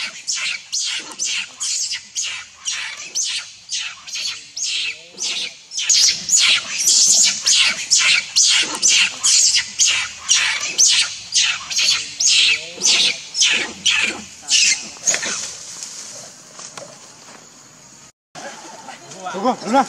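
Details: Baby monkey Leo, hungry and crying at its mother for milk, gives rapid bursts of short shrill squeals, about two per second, in a long insistent series with a brief pause near the end.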